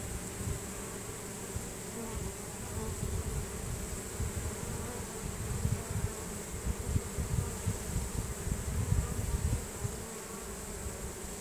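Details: Honey bees of a swarm streaming into a new hive in a chain reaction, releasing Nasanov pheromone; a sustained, even buzz with low-pitched humming and flickering low noise throughout.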